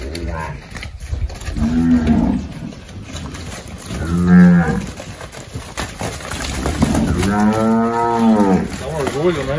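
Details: Half-Girolando heifer calves in Anápolis, Goiás, Brazil, April 2023, expected to give about 30 litres of milk each; three separate moos, the last longest and wavering, over background noise and faint talk.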